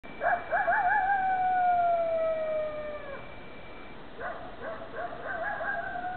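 A coyote gives a wavering yip that stretches into a long, slowly falling howl, then more quavering yips.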